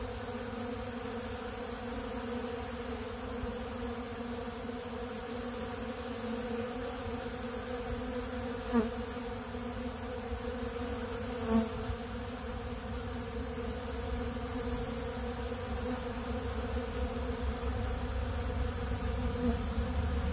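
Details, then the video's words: A swarm of honeybees at a big blue pollen feeder, feeding on ultra bee pollen, keeps up an unbroken buzzing hum. Two faint knocks break through briefly while the drone stays level. "Therapeutic Treatment Sounds Of The Honeybees"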